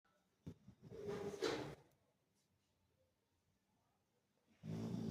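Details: Sleeping Labrador Retriever, called the house's watchman, snoring: two low rumbling harmonic snores, one long drawn breath near the start and another rising at the end, with quiet room between.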